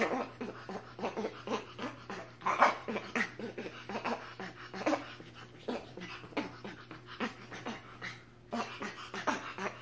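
Quick runs of short, squeaky, chattering notes come from a spider monkey, rising and falling in loudness. Softer whimpering sounds and breaths mix in, over a faint low electrical hum.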